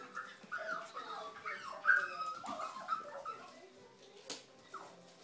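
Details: A tiny female Biewer Terrier whimpering and whining; high, wavering nasal whines in short bursts over a few seconds, with a faint human voice in the background.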